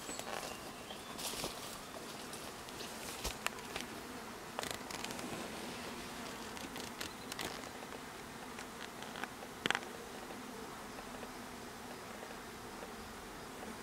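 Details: Honey bee hive with a steady buzzing drone throughout, overlaid by frequent crackling clicks and knocks, busiest in the first half and again near ten seconds.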